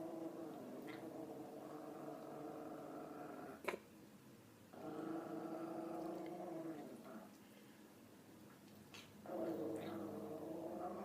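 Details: Female dog growling indoors at something unseen, described as sounding funny; long, wavering, tonal growls in three drawn-out stretches with a sharp click near four seconds.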